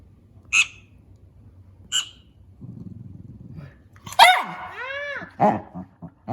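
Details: Pet dog at home complaining about the squeaking of a mouse game for cats on a tablet, which he does not try to catch; two short high squeaks from the game, then a loud yelping bark and a run of wavering, rising-falling whines.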